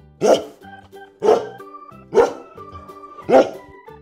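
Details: Farm-animal learning segment for toddlers featuring a dog: four sharp barks, about one per second, against steady background music with held tones.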